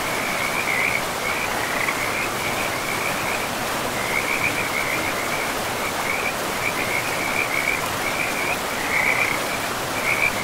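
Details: Frogs calling beside a river in a pristine, moss-covered forest: a steady chorus of short, high trilling croaks repeating in quick bursts throughout, layered over the constant broad rush of flowing water.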